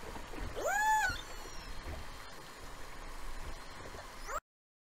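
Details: Killer whales in False Bay, South Africa, on 26 January 2021, among the first known recordings of the species there: a loud, arched, whistle-like call that rises then falls, over underwater noise.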